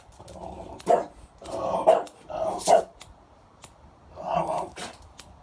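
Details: A French Bulldog sneezes seven times in a quick run of sharp, explosive bursts, mixed with snorty, grunting breaths.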